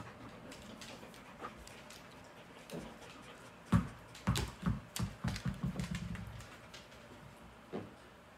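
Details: A Shepsky puppy picking at the other dogs lets out a quick run of low grunts, grumbles and whiny yips.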